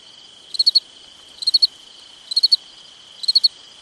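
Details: Cricket chirping on a summer night: four high, pulsed chirps, each of four quick ticks, spaced just under a second apart over a steady, thin continuous high trill.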